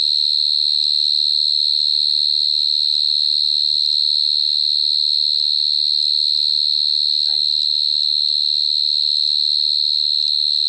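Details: Close-up recording of a cricket from 2022: continuous piercing chirp held at one high pitch, gently pulsing several times per second throughout, a few faint soft background sounds underneath.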